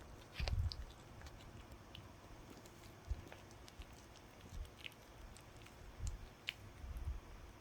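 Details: Dog gnawing on a chew, a few separate dull crunching bites spaced a second or more apart, with small clicks of teeth between them in an otherwise quiet room.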